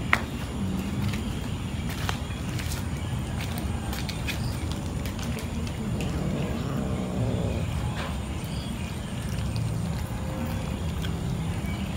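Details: Steady low rumbling noise with scattered clicks and taps throughout, and no animal voice heard.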